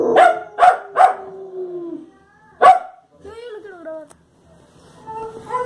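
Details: Fox Terrier barking at the television indoors: three sharp, quick barks in a row, a pause, then one more loud bark, followed by tonal, voice-like television sounds.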